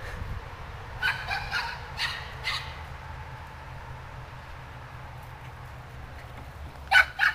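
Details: Rachel, a hyper puppy, barking loudly outdoors with snow still on the ground: a quick burst of four or five short, sharp yappy barks, a long quiet gap, then two louder barks at the end over a low steady background rumble.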